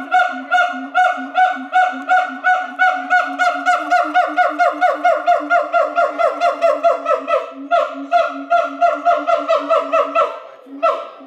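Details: Three siamangs at Chiba Zoo sing to each other in May 2021, mostly in the morning, with a loud song of rapid, harsh, honking barks repeated more than twice a second.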